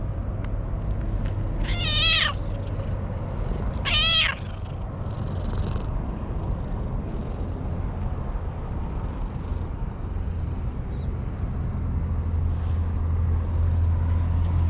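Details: Stray cat on top of a wall, petted and calling out with pleasure: two clear rising-falling meows around two and four seconds, then quiet with steady low rumbling background noise.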